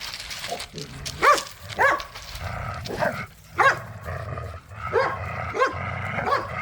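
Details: Pit bulls and a Malinois playing tug of war with a squeaky toy in a yard: low rumbling growls and snarls under sharp squeaks from the toy, repeated irregularly every second or so.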